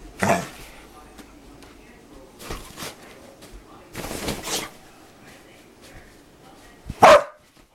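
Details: Dogs playing and making funny noises: a bark at the start, scattered noisy scuffles and grunts in the middle, then one sharp loud bark near the end.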